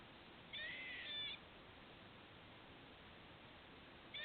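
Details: Hiccup-like noise from a squirrel near a patio: a buzzy, harmonic-rich burst lasting almost a second, then quiet hiss until a second burst begins right at the close.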